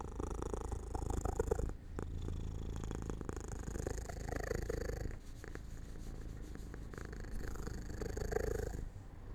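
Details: Pet cat drifting off to sleep by an open, sunlit window, purring continuously in a deep, pulsing rumble that rises and eases with each breath, with brief quieter gaps between phrases.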